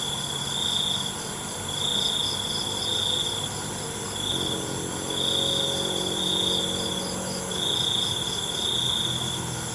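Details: Nighttime crickets trill in high, pulsing bursts about every 1.3 seconds, while a low, droning hum like a distant engine sounds through the middle of the recording.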